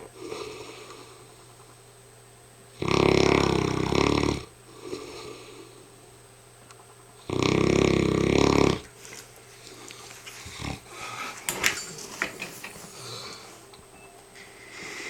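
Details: Hamish, a very tired mastiff, snoring indoors: two long, loud rasping snores about 1.5 seconds each, roughly four seconds apart, with quiet breathing and small rustles between them in a small room.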